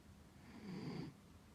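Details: Chibi, a sleeping rescue dog, gives a single low rasping snore of about half a second, with a faint high hiss above it, in a quiet room.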